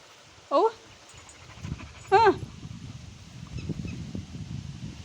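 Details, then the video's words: Ruby, a Labrador Retriever, 'talking': two brief tonal whining calls, each bending up and then down, about a second and a half apart, over a quiet low rumble of background noise. "क्या आप समज गये रुबीने क्या बोला ??"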